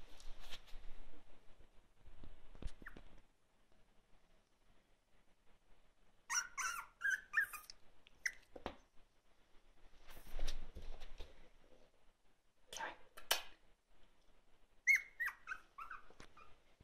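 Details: A Patterdale terrier indoors at home, on its second day, making small barking noises: short, high, squeaky yips in clusters around six, ten, thirteen and fifteen seconds, with quiet gaps and a few faint knocks between.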